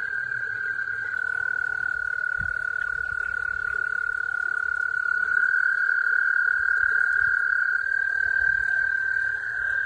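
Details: American toads calling while breeding give a long, steady, musical trill that holds one high pitch without a break.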